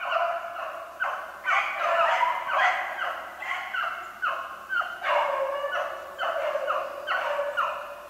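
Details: Pack of beagles hunting snowshoe hare, dated 3/8/16, in full cry: drawn-out, overlapping howling bays repeat in waves about every second, several dogs calling at once with a ringing, mid-pitched tone and no other clear sounds.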